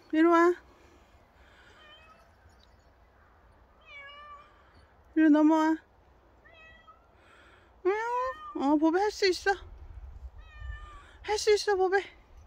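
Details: Bobae, a pet cat described as very dog-like, gives two short, steady mid-pitched meows several seconds apart, followed by a person's animated talking with rising and falling voice in a quiet room.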